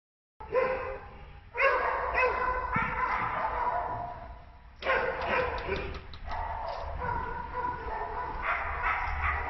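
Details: Nine-month-old male American Staffordshire Terrier, abandoned in a shelter in Turin, Italy, where he despairs from loneliness. Loud harmonic barks and yelps come in bursts separated by short pauses, with a steady low background hum.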